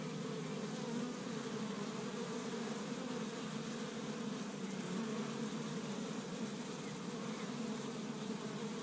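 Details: Honey bees working busily at an established Michigan hive on spring's first warm day, gathering tree-bud pollen; a dense, continuous buzzing drone holding steady in pitch, with occasional louder fly-bys.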